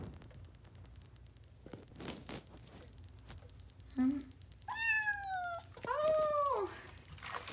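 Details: A Highland Lynx kitten during its first bath gives two drawn-out, wavering meows in the second half, after a short low squeak, over quiet room hum.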